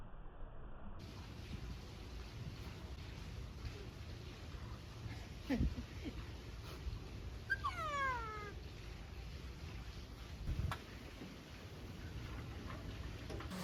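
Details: A ring-tailed lemur at Japan Monkey Centre, Inuyama, Aichi, on a winter day (22 Dec 2025) gives a solo, cat-like, meow-like wail that slides downward after a group chorus, over a low background rumble.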